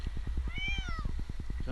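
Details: Jinx, an 8-month-old male kitten stuck two nights in a Newark, Ohio tree, meows once, arched and wavering, as a rescuer reaches for him, with a regular low engine pulse throughout.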